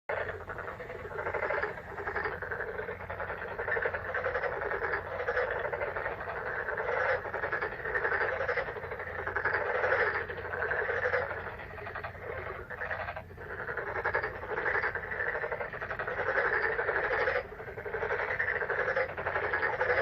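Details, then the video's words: Frogs croaking in May: a dense, continuous chorus of many overlapping rapid croaks, energy in bands around the low and middle range, steady with brief dips, and a faint low hum underneath. "오월의 개구리소리"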